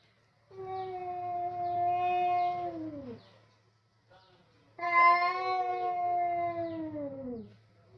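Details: Kitchen standoff between two male cats come for food, quarrelling loudly: two long, steady, tonal yowls of about three seconds each, the second louder and bending downward at its end, over a faint low hum.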